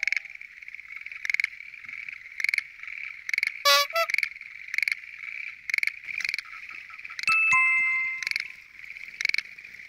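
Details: Schlegel's green tree frogs (Zhangixalus schlegelii) call in a loud chorus at night from a lotus pond in Japan, with short, rattling bursts that overlap and repeat rapidly.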